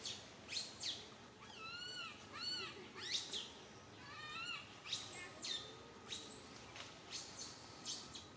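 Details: Crying of infant monkey Santo on a tree branch, his mother Sara unable to look after him; repeated curved, tonal wails and stacked squeals alternate with sharp high screeches over about eight seconds.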